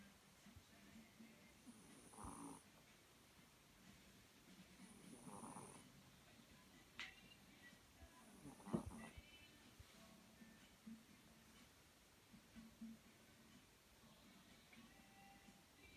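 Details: Snoring from a sleeping cat: three soft, rasping breaths roughly three seconds apart, with a brief click, then quieter breathing over a low hum.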